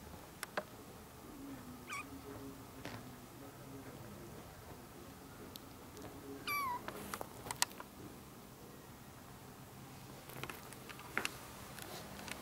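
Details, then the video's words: One of four month-old ginger kittens with their young stray mother cat kept indoors: a single thin, high meow that slides downward, surrounded by soft clicks, scratching and movement noises. "Mom cat with 4 meowing kittens"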